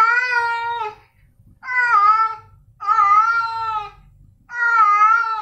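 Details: Male domestic cats Snowy and Milo giving long, steady, rich meows indoors, four calls of about a second each with fairly flat pitch, spaced by short quiet gaps and faint low rumble.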